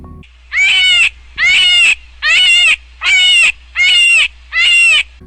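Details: A cottontail rabbit's distress or alarm call: six shrill, wavering screams, each about half a second long, coming just under one per second, with a faint background hum.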